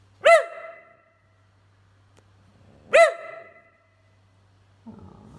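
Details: Indoor whippet barking twice, loud clipped barks about two and a half seconds apart, each with a brief rough tail, then a low grumbling sound at the end.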